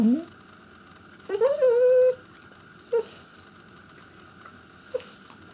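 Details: Pet Pembroke Welsh Corgi Chester, indoors, trying to get his owners' attention: a brief rising squeak, then a sustained, slightly rising whine lasting about a second, followed by two short clipped yelps amid a low background hum.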